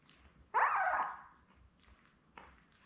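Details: Newborn Labrador Retriever puppy from Belle's litter of seven, born May 24, 2021, on puppy cam June 4: a single loud, rough squeal lasting about half a second and tapering off, followed by a faint short squeak.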